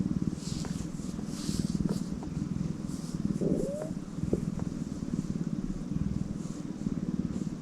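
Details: Tortoiseshell cat purring: a steady, low rumbling throb with rapid, even pulses that runs unbroken, plus a few faint clicks and light background hiss.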